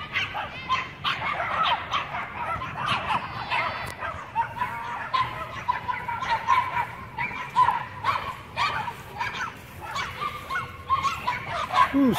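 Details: Several Chihuahuas guarding their territory from a Pit Bull and German Shepherd, a dense chorus of shrill repeated yaps and barks over twelve seconds, some whiny notes mixed in, faint human voice.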